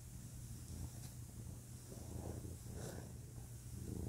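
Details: Low, grainy purring from a male pet cat, a soft continuous rumble with gentle swells and a faint click, under a steady hum.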